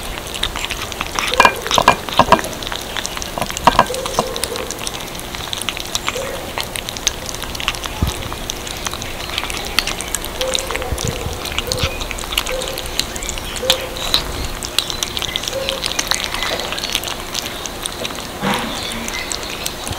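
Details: Kittens munching cat food: dense, crisp crackling and clicking of chewing without pause, plus a few soft low knocks as the little ones eat.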